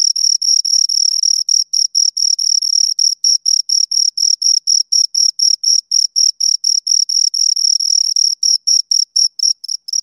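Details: High, ringing chirps from two crickets, at times running together into short trills, then separating into distinct pulses about three per second; clear tonal quality with faint harmonic, nothing else audible.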